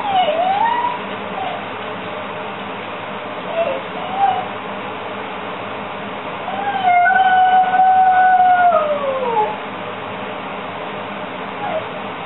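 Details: Kallie, a beagle left alone indoors, screams about two minutes after her owner has gone, on a time-delayed recording: a brief wavering cry, short yelps near four seconds, then one long drawn-out howl that dips at its end, over steady hiss.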